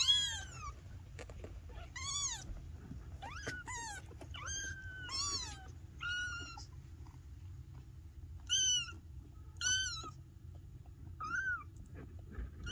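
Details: Little Maine Coon kittens meowing over and over, a run of thin, high, bent meows, some short and some drawn out, coming every second or so in a quiet room.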